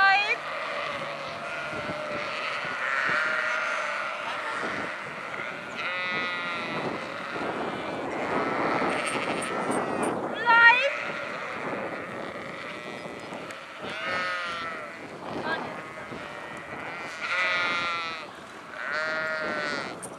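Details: A sheep flock calls repeatedly: loud, wavering bleats come every few seconds from several animals, some overlapping, over broadband rumbling noise with an occasional sharp knock.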